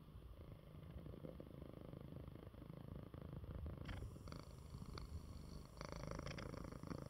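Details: Coco, a pet male cat, purring in his bed after eating well while unwell; steady low rumbling purr throughout, with a few brief clicks and rustles partway through.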